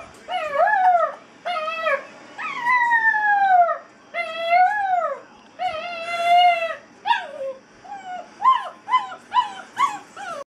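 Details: Molly, an eight-week-old basset hound puppy crated for the first time, lets out long mournful howls that rise then sag, each lasting about a second, followed by a run of quicker short yelps near the end; nothing else audible.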